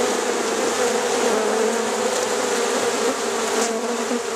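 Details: Many honey bees going into a hive at night in Rosharon, filling the air with a constant thick drone, an even low hum with one short sharper buzz near the end.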